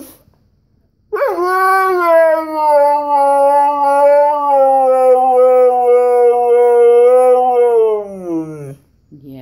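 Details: Siberian Husky, a vocal male dog wanting to go for a walk, whining indoors: one long sustained tonal whine lasting about seven seconds, steady then sliding down at the end, rich in harmonics; brief human speech before and after.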